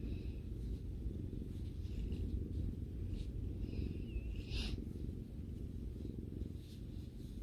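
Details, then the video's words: Cat purring while relaxing indoors with its owner, a loud close rumbling purr pulsing steadily, with a brief faint squeak and a short rustle or click partway through. "さくらさんのゴロゴロ音を聴きながらまったりする動画 Video that relaxes while listening to the cat's rumbling sound"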